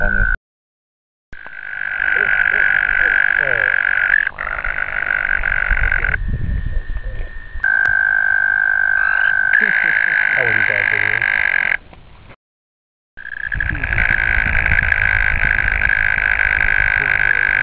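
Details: American toads (Bufo americanus) calling in a shallow roadside ditch in Ohio give long, steady, musical trills that overlap, each holding one high pitch for several seconds.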